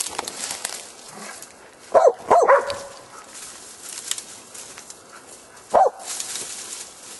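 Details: Korea Tri Hound hunting wild boar. A quick cluster of three barks rises over steady background rustle, and one more bark follows a few seconds later.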